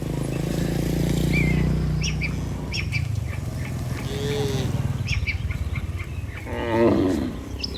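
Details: Tame cattle herd heading back to their barn from the pasture: a long, deep, droning low moo at the start, then a shorter, brighter bellow near the end, with scattered bird chirps overhead.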